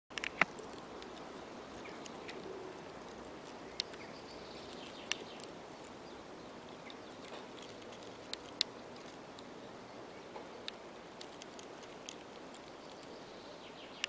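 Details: A European hornet scraping wood, filmed close up in North Rhine-Westphalia, Germany, makes faint, irregular scratchy ticks and crackles against a soft hiss.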